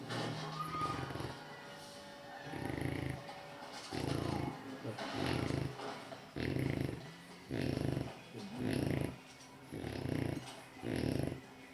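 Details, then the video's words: French Bulldog napping and snoring loudly: rough, low, breathy rasps in bursts roughly every second, some longer and some clipped short, with quieter breathing between them. "Snoring loudly dog french bulldog"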